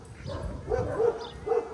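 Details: Young pit bull mix described as chaotic, without manners and reactive to other dogs, at the start of a training session: three short, tonal whining yips in under two seconds over a low background rumble.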